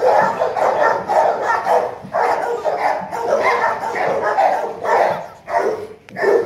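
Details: Young male Rottweiler, ten months old and around 40 kg, barking quickly and continuously in harsh, hoarse barks while a man's voice urges it to play.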